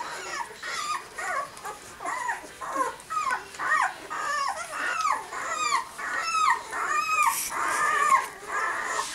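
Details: Six-day-old puppies of Willy and Olimpiya giving a steady run of high, whining whimpers and squeaky yips, short rising-falling cries roughly every second, several pups overlapping, in a quiet indoor setting.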